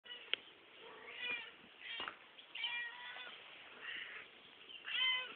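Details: Cat in a backyard giving a few drawn-out, nasal meows spaced a second or more apart, with soft clicks and faint background rustle; the sound is thin and muffled, lacking low and very high tones.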